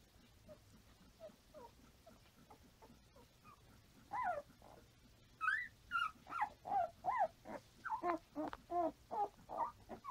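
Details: Five-day-old Standard Poodle puppies nursing on their mother and crawling about, filmed 6/8/14: faint scattered squeaks at first, then a run of loud, rising-falling whimpering yelps about twice per second from four seconds on.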